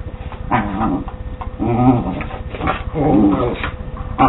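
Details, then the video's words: West Highland White Terrier playing with a Scottish Terrier at home; low rumbling growls with short whiny harmonic yips in bursts, two dogs interacting playfully. "My Westie and Scotty dogs playing"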